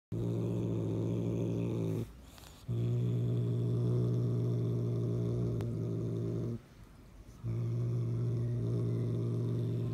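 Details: Cat growling in long, low, rumbling bursts of about two seconds each, separated by short quiet breaks, the steady throaty drone staying deep with stacked harmonics.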